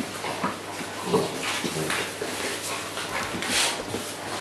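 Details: Neapolitan Mastiff puppies indoors at home give thin, whining whimpers and a few sharp yips in quick succession, with room noise and brief rustling around them.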